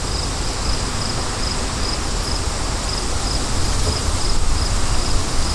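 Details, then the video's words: Bright cricket chirps pulsing at a regular beat above a heavy, gusting wind rumble that builds louder toward the end. "Crickets & Wind For DEEP SLEEP"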